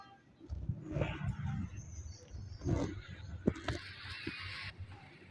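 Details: Nili-Ravi buffalo, a first-calf pregnant heifer kept at a dairy farm in Nankana Sahib, gives a deep, rumbling low moan with layered harmonics, then a short gruff bellow near the third second, over steady farmyard noise and a brief hiss.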